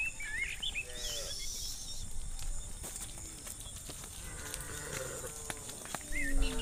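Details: Cows moving through a muddy rice field on the way to a livestock pen give short, soft lowing calls, while small birds chirp high above and a background hiss continues.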